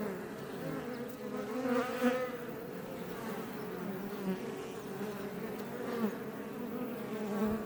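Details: Iberian honey bees busy outside their Langstroth box hive in south Tarragona, Catalonia, Spain, near Els Ports: steady buzzing of a crowd of bees, with individual wingbeat tones sliding up and down as they fly past.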